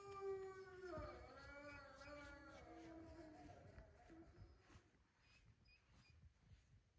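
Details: Wolfdogs in their enclosure at Wolfdog Forest in snow-covered Hokkaido, Japan, howling: several overlapping drawn-out tonal wails that slide downward and then hold level, with rich overtones. The chorus fades after about four seconds into faint background noise.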